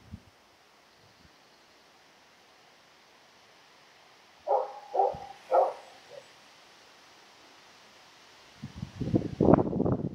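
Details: Female Karelian Bear Dog in June 2016 seeking friendly attention gives three quick whimpering whines in a row after a quiet spell, followed by loud rustling and movement.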